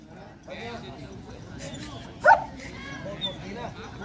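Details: Male German Shepherd, 18-24 months old, at the Vietnam Sieger dog show (VNSV), January 2019; one sharp, loud bark midway through, set against steady crowd chatter and nearby talking.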